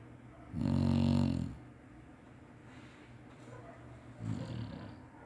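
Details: Chinese Shar-Pei Spike dozing and snoring in his usual way: one clear, low, droning snore of about a second, followed later by a softer, shorter one.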